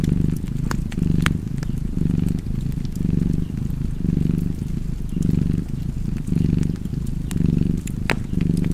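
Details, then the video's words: Domestic cat purring steadily, a rumbling low drone broken into rhythmic in-and-out cycles near one per second, while a fireplace pops and crackles in the background. "Cozy Purring Cat ASMR / Kedi Mırlaması"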